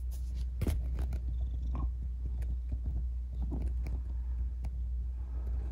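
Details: Kitten rescued after an accident left its leg disabled, heard at night with a steady, low rumbling purr running throughout, broken only by a few faint clicks and taps.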